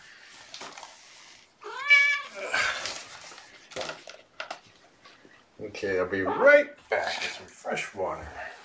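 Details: Domestic kittens, a litter of four (three males, one female), with their 1.5-year-old mother Seraphina at Purrfect Pals on the afternoon of 2018-11-16, during indoor play; two high, arched meows with rich overtones, mixed with human speech and household clatter.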